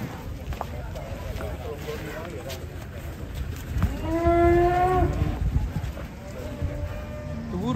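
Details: Jumbo cow, said to have once weighed a ton, at a market: one drawn-out, harmonic moo around the middle, steady then slightly falling, over a constant low rumble of crowd and market noise.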